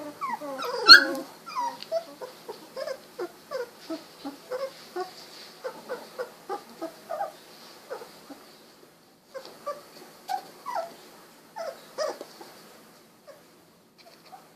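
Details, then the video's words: Golden Retriever puppies, 16 days old, eyes recently opened, wiggling and snuggling; a rapid run of short high whimpers and squeaky yips, roughly two per second, with a brief pause near the middle before the squeals resume. "16 day old Golden Retriever puppies"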